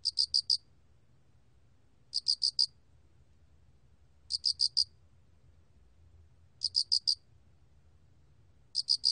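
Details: Spotted cricket (알락귀뚜라미), recorded by the National Institute of Biological Resources in 2020: short bursts of four rapid, bright chirps, repeated about every two seconds, with silence between. A low, soft rumble runs underneath.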